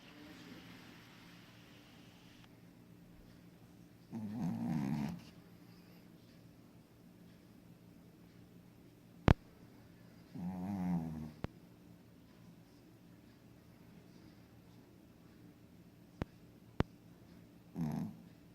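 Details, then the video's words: Pekingese snoring while asleep indoors: three low, rasping snore bursts about six seconds apart, each lasting roughly a second, with a few sharp clicks in between against a quiet room. "Pekinese schnarcht im schlaf"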